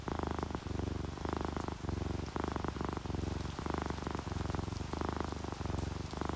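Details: Drowsy tabby and calico cats purring while relaxed, a loud close low rumble rising and falling with each breath in regular half-second phrases, over soft rain pattering in the background.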